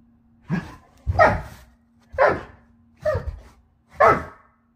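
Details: Doberman dog playing with a Siamese cat, giving five loud, harsh barks in an even rhythm roughly one second apart, each a short burst, over a faint constant low hum.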